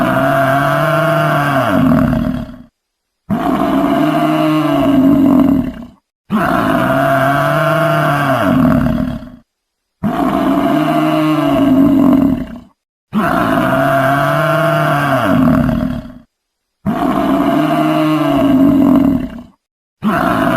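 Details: Buffalo bellowing: a long, drawn-out harmonic moan about three seconds long, cut off cleanly and repeated in near-identical form about six times with short silent gaps between.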